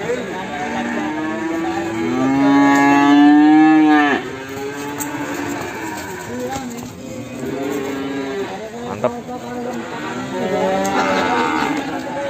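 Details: A Limousin calf from Ambarketawang, Sleman lows in the morning: one strong, drawn-out moo of about three seconds, followed by softer, shorter calls and a closing moo, with music and speech throughout.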